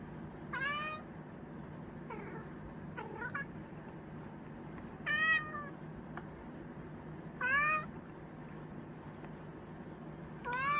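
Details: A Chinchilla cat meows again and again: about five short calls spaced roughly two seconds apart. Some are clear and ringing, others softer and broken, all over a constant low background hum.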